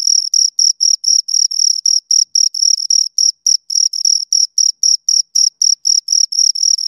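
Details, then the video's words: Pair of crickets producing shrill stridulation chirps, short high pulses about four per second, some doubled or unevenly spaced where the two insects interleave, set against complete silence. "Two Crickets Chirp Sounds"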